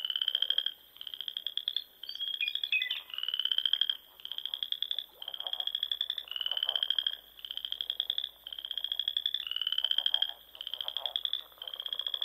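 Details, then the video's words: Spring frog chorus from small ponds in Nebraska's Sandhills at dusk, with steady runs of high pulsed trills, each about a second long, repeating almost without pause, several frogs overlapping. "RELAXING SOUNDS OF FROGS"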